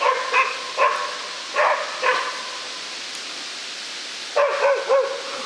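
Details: Baying of young West Siberian Laika hunting dogs at a wild boar in Udmurtia, Russia; a few spaced, ringing barks with a short silent gap, then a quick run of rising yelps.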